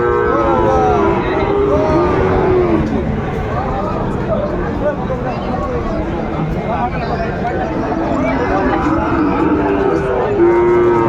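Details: Kushtia, Bangladesh cattle market on 13 February 2025, Sahiwal bull calves traded: repeated moos from many cattle overlap in wavy, arching tones, ending with a steady held low, under continuous crowd chatter and speech.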